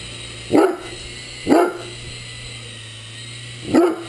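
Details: Three loud barks from a Great Dane engaging an RC helicopter, two close together and a third after a pause, a steady motor whine running throughout.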